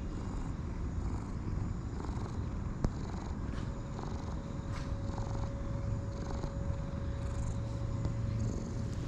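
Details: Steady deep purring from a light brown and white cat enjoying being petted and rolling about, a soft even rumble throughout, with a sharp tap near the start and scattered light rustles.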